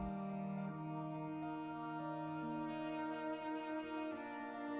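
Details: Soft, tender instrumental music plays throughout, with layered sustained tones and gentle chord changes, and no animal voice.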